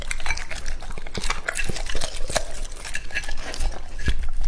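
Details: Lucky, a male English Labrador aged two and a half, chews raw meat. Loud, rapid smacking and crunching bites come with sharp clinks against a bowl throughout.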